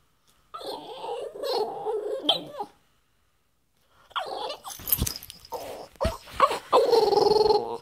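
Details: A female French Bulldog makes grumbling, moaning vocalizations with wavering, talk-like tones because she wants to play.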